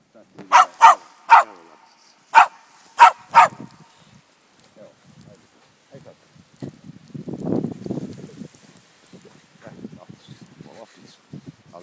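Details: Miniature schnauzer in its first deep snow, on 9 December, barking in sharp bursts: three quick barks, a pause, then three more, followed by soft scuffling and people speaking quietly.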